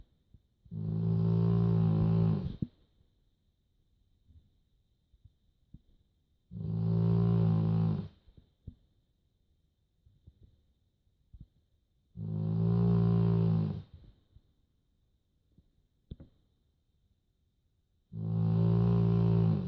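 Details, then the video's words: Joschi, a pet dog, snores while asleep indoors: four long, low, rumbling harmonic snores of about two seconds each, spaced roughly six seconds apart, with quiet breathing and faint clicks in between. "Lustig Hund schnarcht"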